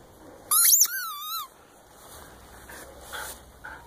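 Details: Female Siberian Husky playing with a new tennis ball, giving a short burst of high, wavering whines that bend up and down in pitch for about a second, then quiet background.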